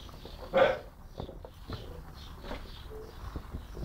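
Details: Young dog about 10-11 months old barking at birds and at the person recording: one sharp, loud bark, then quieter rustling as a person calls it to come in.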